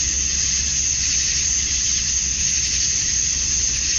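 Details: Summer-dusk chorus of male cicadas in Georgia, USA, calling to attract females: a continuous sizzling high whine with no pauses and a uniform loudness, backed by a soft low hum.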